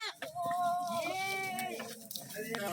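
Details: Goat at a cutting goat farm in India, giving one long wavering bleat with a strong stacked tone lasting over a second, with a man's voice and other farm noise close by.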